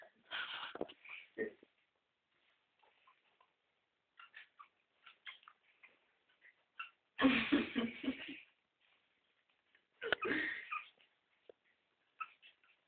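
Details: Two-week-old West Highland white terrier puppies from a litter born 7 November 2011, indoors; bursts of high whining and squealing cries, one long loud squeal near the middle, with quieter whimpers between and a few Spanish words spoken nearby.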